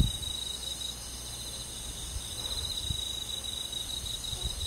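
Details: Crickets on a summer night in a countryside forest, a steady shimmering chorus of high, pulsing trills layered in several bands, continuous with no gaps, over a faint low rumble.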